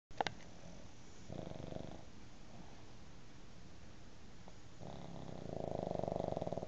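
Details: A pug asleep on a bed beside a cat, dreaming as it snores: a short rasping, finely pulsed breath near two seconds, then a longer, louder buzzing snore building over the last two seconds in a quiet room.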